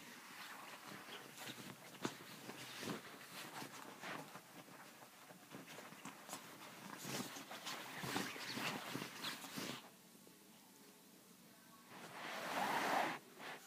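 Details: Chihuahua named Pepito, a pet dog, giving quick, noisy snuffling and panting bursts for about ten seconds, then quieter, ending in a brief hissing rush of sound.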